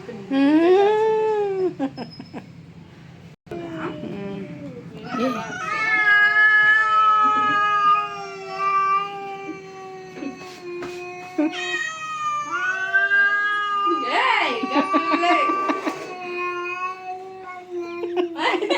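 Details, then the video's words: Pet cat fighting another cat: long, loud, wavering yowls with rich harmonics, drawn out for several seconds each with brief breaks, rising and falling in pitch; people's voices and shouts heard in between. "My cat's VS another cat funny fight videos"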